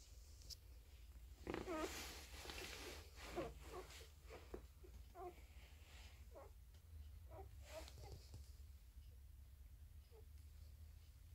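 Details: Five-day-old Border Collie puppies from the Jewel and Cooper litter at Magical Fields. They give repeated short, high squeaks and whimpers, about a dozen spread unevenly, over soft rustling and a low indoor hum.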